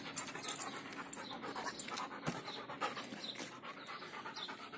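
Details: A Belgian Malinois being trained in discipline at mealtime pants in quick, breathy bursts, with faint clinks and rustles around it.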